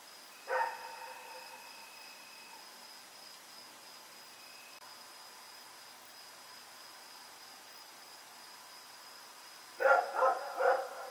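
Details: Dog Rex barking in the night on October 7, 2018 while running around: one loud bark, a long quiet gap with steady hum, then a rapid burst of three barks at the end.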